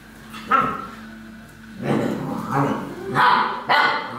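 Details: Alaskan Malamute recorded on 30 November 2013, giving several loud barks and yelping calls spaced irregularly across a few seconds, with quieter vocal sounds between them.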